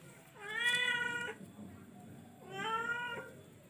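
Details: Two drawn-out meows from a charcoal F1 cat, each steady and harmonic, roughly two seconds apart, over a low background hiss.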